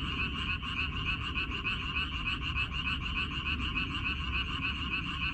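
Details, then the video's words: Many frogs croaking together in a minari (water dropwort) field on 14 May 2021, quick regular pulsed calls blending into a thick, steady chorus over noticeable low-pitched background noise. "고향 생각 나게 해주는 개구리 소리, 미나리밭의 그놈들, Croaks of Frogs, Sounds of frogs, Song of frogs"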